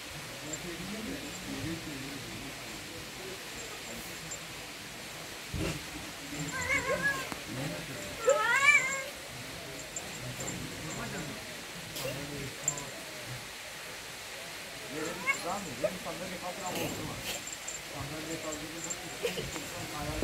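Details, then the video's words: Turkish Van cat meowing in short wavering calls, a louder cluster around the middle and more near the end, with a person talking quietly in the background. "Van kedisi"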